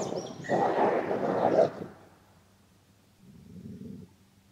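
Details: A grey wolf (Canis lupus) growls angrily as another wolf flees, giving a harsh, rasping snarl and then a lower, softer rumbling growl; Gray wolf.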